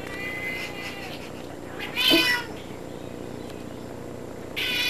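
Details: Domestic cat sitting in a bathtub, indoors, giving a loud drawn-out meow in the middle, a fainter harmonic mew just before, and another meow starting at the end, over a steady room hiss.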